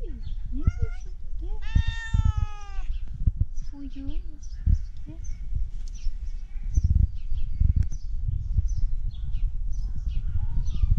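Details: A tabby cat gives short, nasal, duck-like meows, apparently asking for food, while a person speaks softly nearby.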